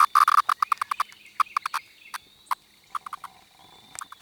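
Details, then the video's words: Periodical (17-year) cicada, a larger variant with yellow-brown striping under the abdomen, recorded close up: a quick, uneven series of short buzzy bursts at the same pitch as its whine, clustered in groups with brief pauses between. "17 year cicada making different sound"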